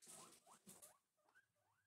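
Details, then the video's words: Two guinea pigs at breakfast, rustling and munching first, then a few soft, short rising squeaks in quick succession. "relaxing cute guinea pig noises"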